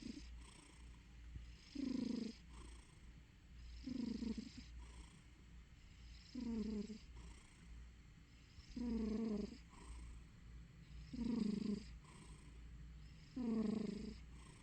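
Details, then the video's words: A sleeping domestic cat gives a low, rumbling purr-snore in even bursts, roughly one with each breath. "Juliet-Eve sleeping, snoring/purring cat."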